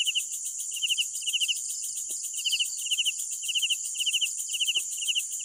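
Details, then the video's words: Crickets calling at night, giving groups of three or four quick chirps in short bursts separated by brief pauses, against a steady high-pitched insect drone. "Sounds of Night Crickets"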